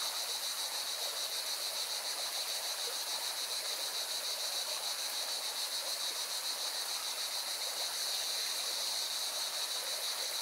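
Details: Singing cicadas beside a mountain river in Valencia, Spain: a continuous, shrill, high buzz with a fine rapid pulse that holds steady throughout, layered over the constant rushing hiss of the river water.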